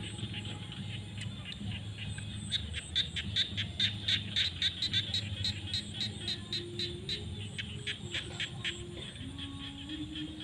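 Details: Frogs calling in fields at sunset during the rainy season: rapid high, clicking pulses, several per second and overlapping, over a low steady hum and rumble.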